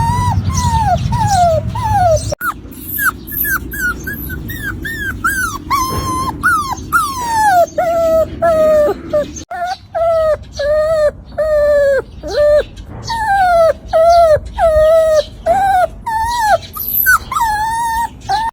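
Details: Shiba Inu puppy crying: a long run of high whistled whimpers, each sliding up then falling, with ringing overtones, repeated roughly every second or two with short gaps, and faint low background hum early on.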